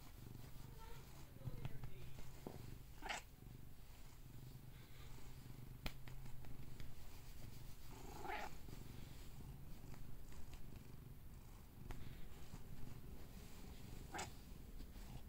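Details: Domestic cat purring contentedly indoors, a steady low rumbling drone throughout with a few soft meow-like bursts, faint clicks and brief speech in the background.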